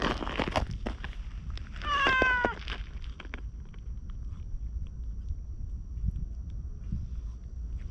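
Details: Orange tabby stray cat trailing after being petted, filmed with a GoPro: a single short, wavering meow in the middle, with rustling and low outdoor rumble around it and quiet elsewhere.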